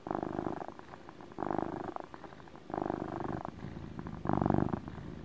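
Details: Relaxed house cat producing a deep motor purr, each rumbling exhale-inhale cycle about a second long, the final burst louder and lower, recorded close in a quiet room.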